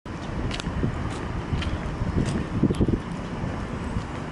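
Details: Gusty wind buffeting the microphone over a low traffic-like rumble, with no clear animal voice.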